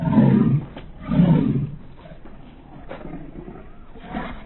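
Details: French Bulldog living in Russia, nicknamed the Beaverosaurus, gives low, rough, roaring grunts: two long throaty bursts about a second apart, then quieter rumbling and a faint short grunt near the end.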